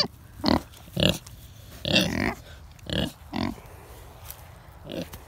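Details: Kunekune pigs on a farm; about six short, rough grunts spaced roughly half a second to a second apart, over a quiet background.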